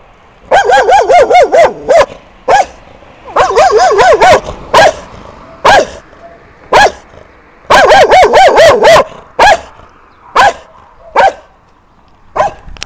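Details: Aggressive German Shepherd mix barking loudly in rapid bursts of four to six harsh, wavering barks, separated by short pauses and interspersed with single barks, over about thirteen seconds.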